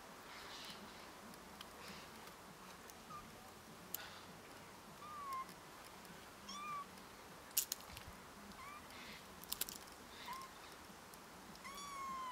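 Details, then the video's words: Small cat stuck after climbing up a tree, meowing helplessly: several short, faint high mews with falling pitch spaced a second or two apart, some clicks and outdoor background hiss. "Small cat is climbing up a tree. Helpless meowing"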